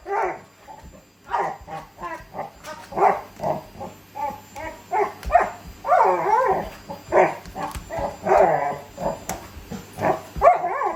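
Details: Labrador Retriever wrestling with a vacuum cleaner, wanting to be sucked up; a steady series of short barks and whining yelps, some with wavering pitch, repeated about every half second over a low machine hum.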